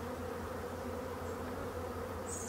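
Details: Black bees humming inside an abandoned hive during its restoration: a constant, dense buzz of many insects with steady low tones, and a brief high chirp near the end.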